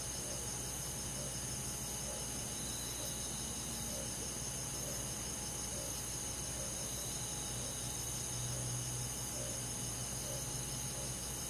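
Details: Crickets among forest insects on a summer night in the countryside: an unbroken, bright high-pitched trilling chorus with regularly spaced soft pulses and a few lower chirps, over a persistent low hum.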